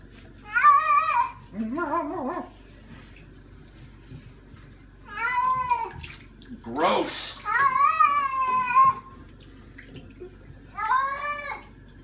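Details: Pet cat protesting during a bath gives long, drawn-out yowling meows that rise and fall, about four cries across twelve seconds, with a brief human voice and a short splashing burst between them.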